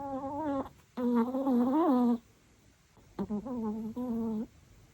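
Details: A sleeping male Chihuahua snores in drawn-out, tuneful notes that waver in pitch like a soft whine.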